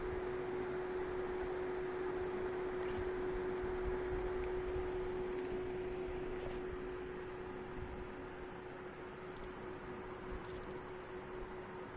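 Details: Steady indoor hum, like a fan or appliance, fills the room with a constant tone and a few faint clicks; no animal calls are heard.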